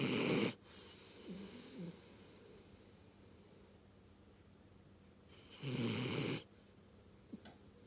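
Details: Chibi, a rescue dog, snores while asleep: loud gravelly snores at the start and again about five seconds later, softer wheezy breaths between them, and a small click near the end.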